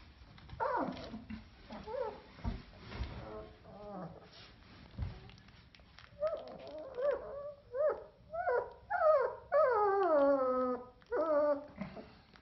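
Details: German Shepherd puppies whimpering and whining in a series of high, wavering, downward-sliding cries that grow louder and more frequent toward the end, with a few soft human words early on.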